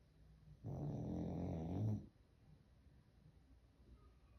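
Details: Louie the dog snores in his sleep: one loud, low, vibrating rumble lasting over a second, then soft breathing in a quiet indoor space.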